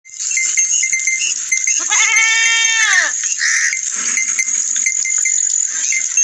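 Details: Goat or sheep gives a single drawn-out, wavering bleat that arches up and then falls over about a second, set against a steady high-pitched ringing hiss that runs throughout.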